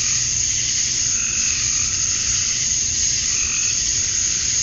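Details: Georgia, USA, summer dusk: male cicadas chirping to lure females make a steady, intense buzzing drone, with occasional fainter pulsed notes beneath and a light low hum.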